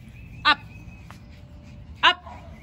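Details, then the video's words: Macy, a Yorkshire Terrier, barks at the neighbour's two dogs in a 'battle of the bark'. There are two sharp, high barks about one and a half seconds apart, with a faint tap between them over quiet background hum. "Macy the Yorkie is out for a Battle of the Bark"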